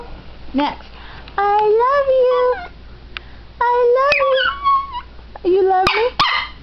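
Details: A pet dog being taught to say "I love you" produces long, sliding vocal whines, rising then dipping, in three separate phrases with quiet gaps between them.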